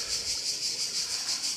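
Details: Cicadas on a Croatian island beach fill the air with a shrill, high buzzing that swells and fades in quick, regular pulses, heard once the crowds have left, in hot weather before sunset.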